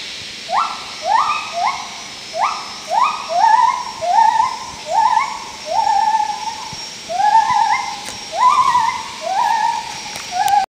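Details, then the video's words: Wild gibbons in Khao Yai National Park, Thailand, in May 2012, give a run of loud, rising whooping notes, repeated about twice a second. "Wild Gibbon calls in Khao Yai Thailand"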